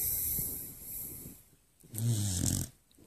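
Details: Sleeping Beagle at night giving one short, rough snore with a low rattling tone near the end of a quiet stretch of breathing, followed by a soft snort.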